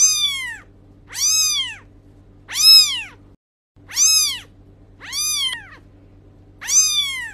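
A kitten gives a run of high, arching meows, each rising then falling, about every one and a half seconds.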